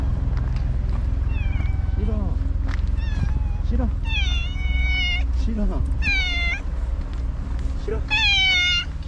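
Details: Stray white cat named Shiro, living on the tetrapods, back after a whole day missing and meowing repeatedly: a string of clear, harmonic meows, some rising then falling, over a steady low engine hum with a person talking to the cat.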